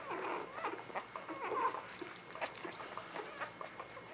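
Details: Newborn puppies of the Ava Jericho litter, spring 2017, indoors; thin, high squeaky whimpers come in short broken bursts, quiet and close, with a soft room hiss behind and no voices.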